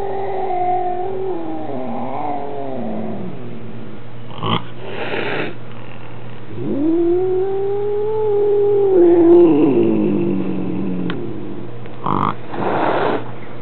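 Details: Male Maine Coon cat at home, unhappy and complaining about a visiting new kitten; a falling wavering moan, a hissing burst, then a long rising yowl that holds and sinks, ending with another harsh hiss, captured on a compact camera.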